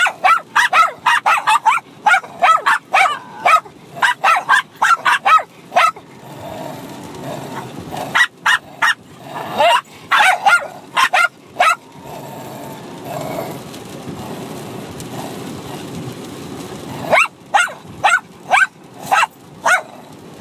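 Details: Two Bichon Frises, a 6-month-old puppy and an adult dog, bark back and forth in rapid, high-pitched yapping bursts while fighting and playing at once.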